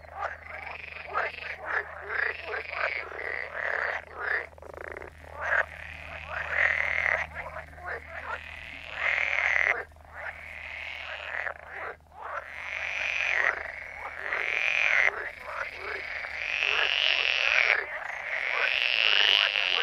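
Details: Frogs croaking in a dense chorus: loud, harsh, buzzy calls stacked and overlapping almost without pause, some rising whining notes, rhythmic pulsing about four times a second, low hum underneath.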